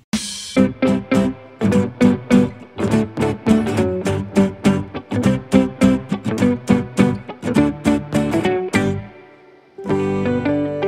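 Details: Plucked guitar music with a steady strummed rhythm plays throughout, pausing briefly before resuming, with no animal sounds heard.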